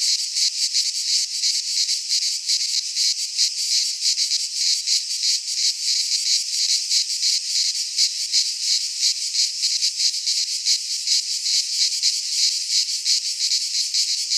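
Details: Sustained high-pitched buzz of many cicadas singing in a Greek pine forest during midsummer, the sound a dense rapid throb that never pauses.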